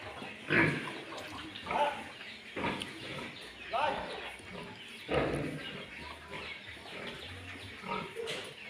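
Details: Landrace and Duroc farm pigs kept as pure breeding stock, with short, rough grunts and snorts in separate bursts roughly every second, and human voices audible between them.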